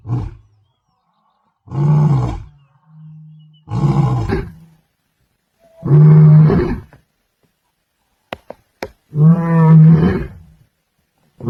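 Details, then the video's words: Powerful roars of a male lion patrolling his Masai Mara territory: four or five deep, resonant, drawn-out roars spaced about two seconds apart, a soft low hum between, and a few sharp clicks near the end. "Hear Osupaat’s Powerful Roar"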